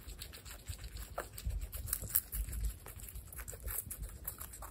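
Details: Baby guinea pigs from a group of female pets, including Olive, Salt, Sonic, Sugar and Pepper, eating: a steady patter of crisp, irregular crunching and nibbling clicks, with no vocal calls.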